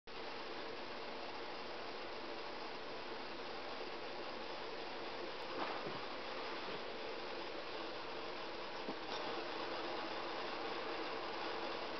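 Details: A steady, even broadband hum like a fan or air conditioner fills an indoor room throughout, with no animal voice.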